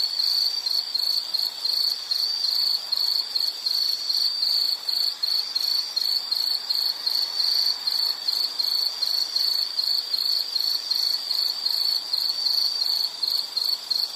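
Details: Shrill insect song, a high buzzy trill broken by short, fairly regular gaps, steady in volume across fourteen seconds against a quiet background.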